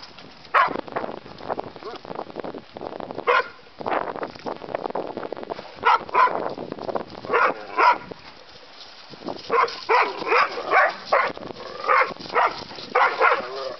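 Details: Terrier mix and bulldog at play, learning the rules: a long mix of growls and clipped barks, ending in a fast, steady string of short yaps.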